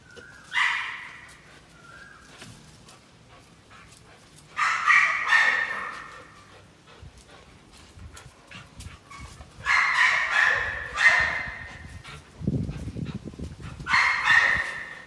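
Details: American Pit Bull Terrier working out, barking in separate short bursts of two to three harsh barks spaced several seconds apart, with faint whines and a rustle between; a man says "ready? come on".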